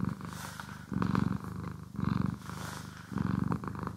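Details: Domestic cat purring indoors while being groomed and brushed, recorded in stereo; low rumbling purr swelling in bursts about every second with softer breaths between, faint brushing strokes above.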